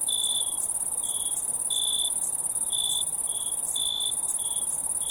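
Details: Cricket chirping from a nature recording: a constant piercing high-pitched buzz with a second, lower cricket trilling in brief pulses spaced roughly every half to one second.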